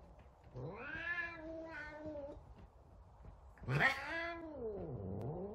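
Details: An angry F2 Savannah cat, kept indoors, gives two long, drawn-out yowls that swell and bend in pitch.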